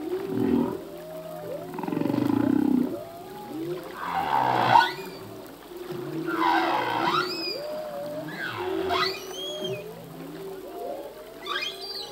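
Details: Singing male humpback whale underwater; a loud pulsed growl, then a series of swooping calls that rise into high squeaky upsweeps, repeated roughly every two seconds over a steady droning moan.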